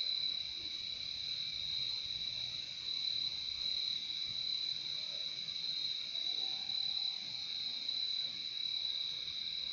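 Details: Crickets in a nature recording made for relaxation and sleep: a steady, unbroken high-pitched trill holds throughout, with a fainter second band beneath it and soft low background noise.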